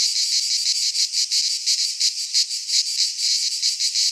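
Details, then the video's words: Cicadas singing in midsummer in a Greek pine forest: a dense, hissing buzz pulsing roughly three times per second, with steady loudness and no other sounds. "Cicadas singing in midsummer"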